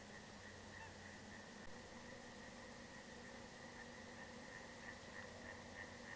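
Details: Eastern tree frog near Veprin village, Klintsy district, Bryansk region, Russia, on 7 April 2024. A faint, distant run of short, clipped pulses repeats several times a second over a steady low hum.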